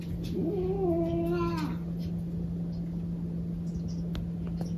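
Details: Cat giving one drawn-out, wavering meow that rises then falls over about a second and a half, followed by quiet, with a steady low hum throughout.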